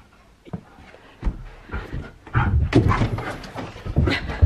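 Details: Siberian Husky named Keyush in a burst of zoomies indoors, fetching a frisbee; heavy rapid panting mixed with thumping footfalls and bumps in a small room, growing louder toward the end.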